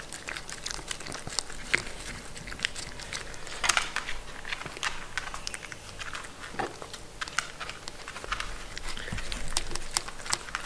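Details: Sheltie named Mindy, a Shetland Sheepdog kept as a pet, eating food: crisp crunching bites and wet chewing clicks in uneven bursts, a louder cluster near the middle, in a small quiet room.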